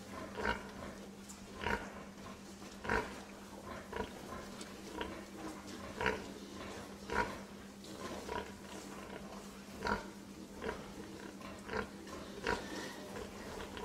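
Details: Pig giving short, rough grunts at uneven intervals of about one second, with a constant low hum running underneath throughout.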